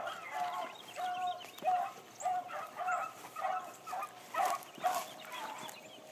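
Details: Blackcreek gyp called Bee, a female hound, running for the first time on a morning hunt. Her far-off barks repeat at a fairly steady pace of nearly two per second, each a short ringing note, over faint background noise.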